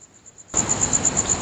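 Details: Insect calling late at night under a full moon at Nagahama-cho, Naze, Amami Oshima, Japan, in August 2011: high, shrill pulses repeated rapidly about eight times a second in a steady rhythm, with a faint hiss behind.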